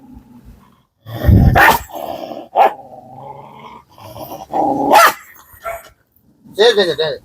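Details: Kombai dog showing aggression toward a familiar visitor. A rough, low growl swells into sharp, explosive barks in short bursts. Background music and a man's voice are also heard.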